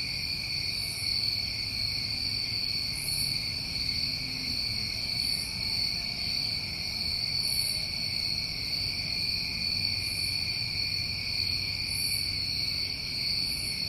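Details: A continuous chorus of crickets on a New England summer evening: shrill, even trilling without pause, overlaid by soft hissy pulses recurring about every two seconds.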